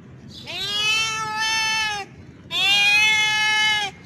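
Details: A male cat in heat calls for a female, trying to attract her to mate: two long, sustained, nasal wails, each about a second and a half, with a short silent gap between them.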